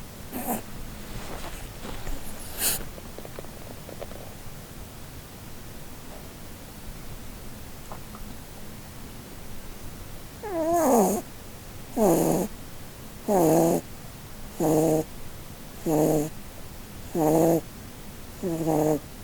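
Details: Blueberry, a female Holland Lop rabbit, asleep and dreaming under a Christmas tree; quiet breathing at first, then soft wheezy snores repeating roughly every one and a half seconds in a steady rhythm indoors.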